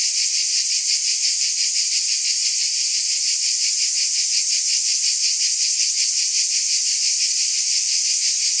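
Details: Cicadas in a dense, unbroken high-pitched buzz that swells and fades in regular pulses, roughly three each second, with no other sounds present.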